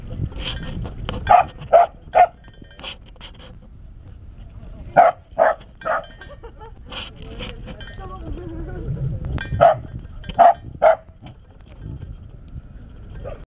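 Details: Play wrestling between young corgis Boo Boo Bear (red and white) and Delilah (tri-color), meeting for the first time at a dog park. Sharp barks come in three clusters of two to four, separated by pauses with soft scuffling.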